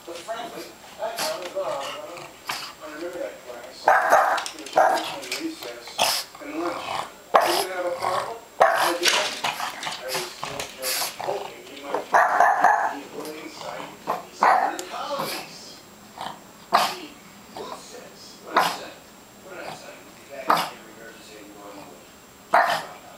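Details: Pet dog barking in fear at graduation balloons indoors, sharp bursts repeated irregularly through the recording, mixed with people talking nearby.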